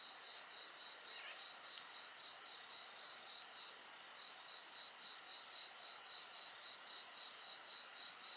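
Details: Insects calling alongside a bonfire: a fast pulsing high trill and constant shrill hissing continue without pause, with faint crackle of burning wood in the background.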